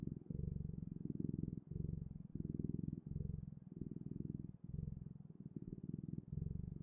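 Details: Deep, vibrating cat purr in regular breath-length pulses, each phrase a dense low rumble, only short silences between them.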